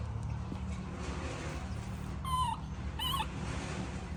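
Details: Upset baby monkey protesting its mother's departure, giving two brief high squeals about half a second apart, the second wavering, against a constant low droning background.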